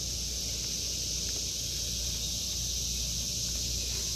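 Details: Summer cicada chorus in an August 2023 garden, a steady shrill hiss-like drone holding constant throughout, with a low background hum and faint rustling.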